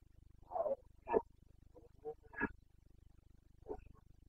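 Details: Carpathian stag, a red deer, in the Bucovina mountains during the 29 September 2022 rut; four short, hoarse grunting bursts spaced irregularly across a few seconds over a low steady hum.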